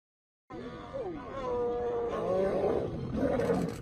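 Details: Female lion attacking and biting a male lion: after a moment of silence, a sudden loud snarl breaks out and continues as a strained, wavering roar with rising and falling harsh tones.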